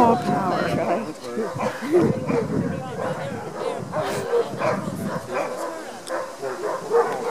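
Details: Several Alaskan huskies at a ranger sled dog demo in Denali National Park, Alaska, brought in on two paws and eager for the sled harness; continuous excited barking and yipping mixed with voices.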